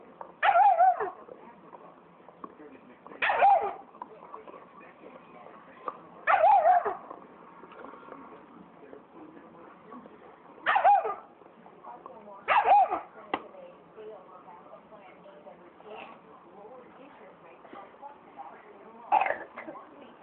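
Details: Black phase wolf hybrid, mad at a big Saint Bernard that took its bone, lets out short loud barks roughly every two to six seconds, six bursts in all, with low murmuring and room noise between them.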